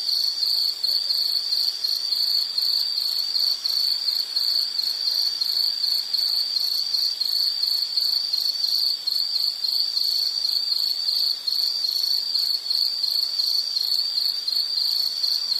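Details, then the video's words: Fast, rhythmic high-pitched insect pulses repeat in a dense, steady stream, with thinner trilling calls faintly above and no other sounds. "Sound · Nature Sound of nature sounds scenery L · insect"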